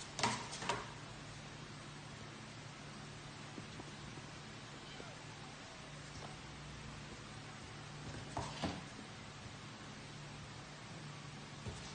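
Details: A quiet indoor room with low hum, faint rustling and a few soft knocks, with no animal voice heard.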